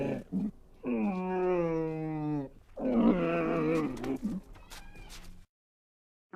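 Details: Camel moaning with short grunts, then a long, level, harmonic moan of about one and a half seconds, followed by a rougher, gurgling bellow and a few low grunts before silence.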